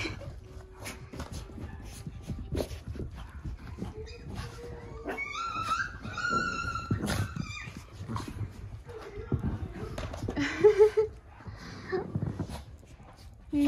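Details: Cavalier King Charles Spaniel puppies, part of a litter of fourteen indoors in a living room, running about with the zoomies; short high whimpers and whines over scrabbling paws and the thump of play, with a woman talking nearby.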